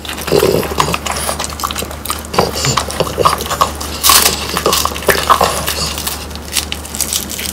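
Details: Pang, Kun and Ppo, pet French Bulldogs, biting into crunchy dried whole quail, irregular sharp cracks and wet chewing, louder crackling bursts around mid-clip, indoor low hum steady throughout.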